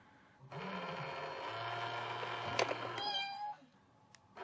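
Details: Pet cat confronting a cat box, uttering one long sustained meow of about three seconds, fairly even in pitch with a slight rise at the end, followed by a few faint clicks indoors.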